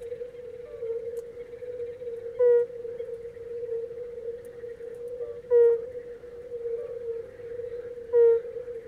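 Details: Red-bellied toad singing, its nostrils working as it calls: soft, short, mellow hoots repeated roughly every three seconds over a steady tonal hum, each note brief and even in pitch.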